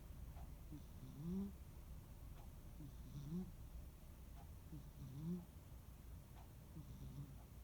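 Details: Soft snoring from Munenaru, a rescued cat napping on a quiet holiday afternoon: faint, low, rising snore tones recurring roughly every two seconds in a hushed room.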